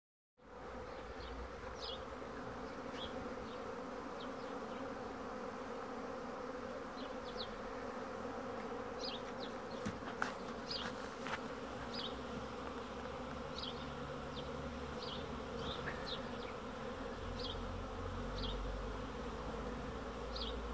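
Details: Honey bees buzzing in a steady, dense, low hum with layered droning tones throughout, while short high bird chirps break in every second or two and a sharp click sounds midway.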